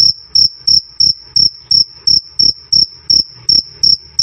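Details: Cricket giving its "krik krik" call, recorded loud and clean for tutoring songbirds: shrill, short chirps in a steady train, nearly three per second, with a thin higher overtone above each pulse.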